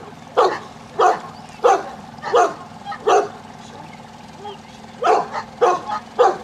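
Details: At a section C water test at Grangewater Tests, a Newfoundland dog barks in rhythmic bursts about every 0.6 seconds, pauses for nearly two seconds, then resumes. Faint voices and a low background hum are also present.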